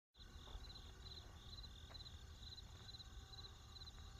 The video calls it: 自由に使える効果音 動画作成用素材 コオロギ 鳴き声 クリアな音